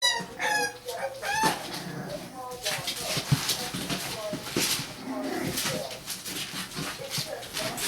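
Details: Six-week-old English Bulldog puppies from a litter of seven give high, squealing whines and yelps, with people talking in the background.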